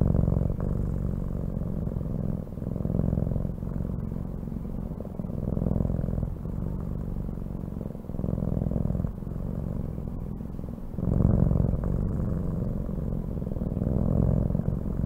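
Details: Domestic cat purring, a deep continuous rumble with rapid fine pulses, rising and falling in loudness in breath-like cycles roughly every two seconds, with a brief quieter pause and a few faint clicks.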